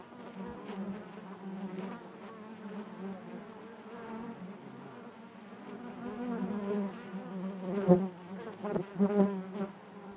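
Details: Honey bees buzzing inside their hive, a dense steady drone with a strong low hum and stacked harmonics, swelling and ebbing in loudness with brief louder surges near the end.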